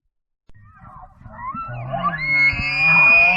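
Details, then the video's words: A bull North American elk bugles, sliding up into a long, high, piercing whistle. "okay so that sound you just heard was actually the bull north american elk"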